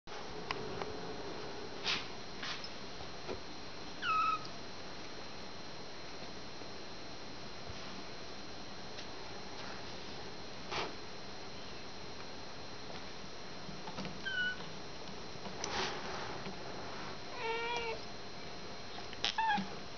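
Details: Young kittens in a pen, some playing, others nursing contentedly beside their mothers, with mothers calling and purring. Several short, faint, high mews are scattered over a steady low indoor hum, with quiet gaps between.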